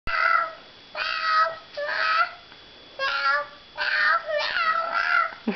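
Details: Domestic cat meowing indoors while being petted with a person's foot; five loud, drawn-out meows, each under a second, repeated with brief gaps in a quiet small room.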